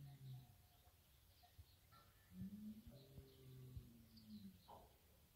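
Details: Berrenda en Colorado cattle, a herd of cows with their stud bull, giving low, steady, humming moos with a flat pitch that dips slightly, over a faint chorus of high bird chirps and some knocks.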